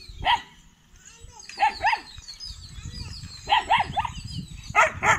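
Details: Kanni and Chippiparai puppies on their 81st day, shown guarding at a dog sanctuary in Tiruvarur, 2 August 2021; sharp barks in pairs and singles spread over five seconds, with low rumbling noise between.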